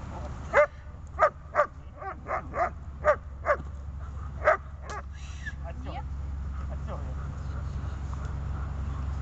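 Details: Tethered dog in grip, fight and calming training barks about once a second for the first half, then falls quiet while low steady background noise continues.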